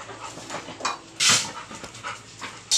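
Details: Labrador Retriever panting: quick, breathy, broadband puffs in an uneven series, with one loud hissing burst midway and another at the end; faint background noise.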